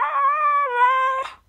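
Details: Siberian Husky howling: one sustained, level, slightly wavering tone of over a second, ending in a short breathy break.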